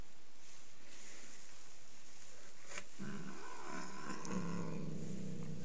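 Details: Angry domestic cat giving a low rising growl that swells into a steady rumbling moan, with a sharp knock partway through.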